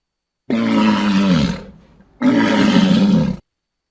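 A walrus gives two long, rough bellows, each a deep, harsh groan lasting about a second.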